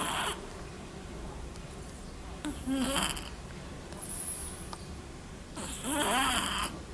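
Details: Little black cat asleep and snoring, with breathy hissing bursts every two to three seconds, each holding a thin squeaky whistle that dips and wobbles.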